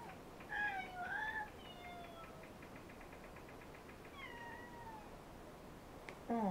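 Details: Pet cat meowing indoors near a love seat, filmed with a helmet camera: a clear, long meow that bends up then slides down, a second meow near four seconds, and a short final cry, over a faint hiss.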